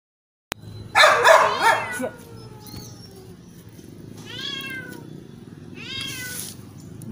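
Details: Cat rescued from a canal, meowing as cats do when wanting something such as food or attention: a loud, harmonic run of quick meows, then two shorter bursts of downward-curving meows over low background noise.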